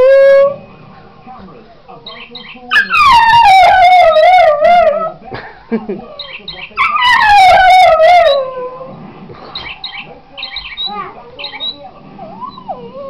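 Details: Singing Patterdale crossed with Border terrier: two strong, drawn-out howls, each beginning high and gliding down with a wobbling tone, separated by a pause, while a television presenter speaks in the background throughout.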